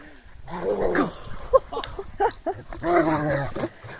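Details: Toro the Rottweiler brawling with the 50 kg Cane Corso D'Arcy as she spins to outsmart him; loud, strained, harmonic growling rises in pitch, then a string of short grunts, then a second long drawn-out growl.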